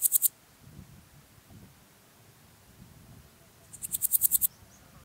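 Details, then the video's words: At Zirbitzkogel, Austria, 5 September 2019, a Styrian Golden Grasshopper gives a brief pulsed buzz at the start, then after three seconds of near quiet a longer high rasping phrase of about eight accelerating, louder pulses. "Podismopsis styriaca -- Steirische Goldschrecke -- Styrian Golden Grasshopper"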